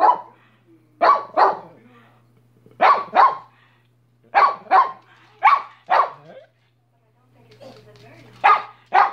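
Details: Pet dog barking repeatedly in close doubled barks, pairs spaced about a second and a half apart, with a brief quiet gap before the last barks and a faint background hum.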